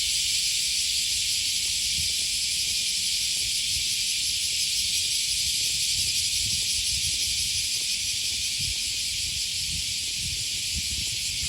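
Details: Cicadas along the Okawa River in Osaka, Japan, on the first Thursday morning of August, giving a continuous shrill buzzing wash with a slight pulsing texture. Soft footsteps and a low traffic hum sit underneath.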